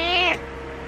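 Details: A single short meow from Butters, a pet cat that wants attention. It is bright and richly harmonic, holds level, then drops off quickly over a faint background hum.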